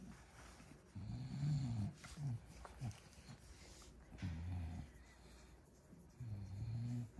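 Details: Bulldog, female, asleep after a twelve-hour nap, snoring in low, rumbling bursts about a second long, separated by quieter breathing gaps.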